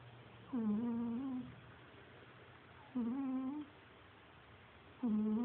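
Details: A domestic cat snoring indoors. Steady tonal, nasal, humming breaths last about three-quarters of a second each. They hold a level pitch with a slight rise at the end and repeat roughly every two to two and a half seconds, with quiet gaps between.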